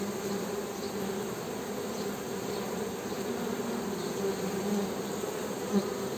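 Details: Western honey bees humming: a steady, dense buzz with a low drone and a brighter overtone, holding an even level throughout with only a brief faint click near the end.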